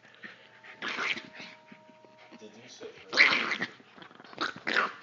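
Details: Chihuahua playfully attacking a German Shepherd mix, its quacky growls likened to Donald Duck: short harsh rasping bursts near one, three and five seconds amid scuffling, with a man talking to the dogs between them.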